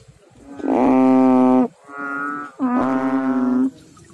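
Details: Frogs calling in water: two long, deep, droning notes about a second each, with a softer, higher-pitched drone between them, the tones steady and buzzy with rich overtones.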